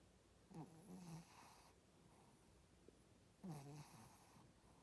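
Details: Female Shih Tzu snoring indoors: two low rasping snore breaths about three seconds apart, each starting with a brief rough rattle and trailing into a soft buzzy hum, with quiet room hiss between.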